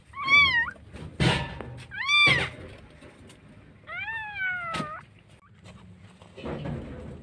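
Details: Street cat in Jakarta, Indonesia, among homeless cats and newborn kittens fed daily; two quick rising-falling meows, then a longer drawn-out descending meow, with knocks and faint background sounds between.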